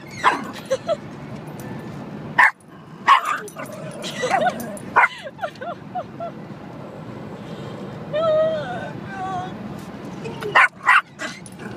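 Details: A pet dog in a moving car reacts to the windshield wipers with scattered yips and barks, mixed with whimpering and a person's voice over constant road noise.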